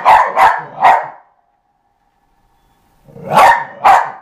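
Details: A dog playing with a skateboard gives three quick barks, falls silent for about two seconds, then barks twice more.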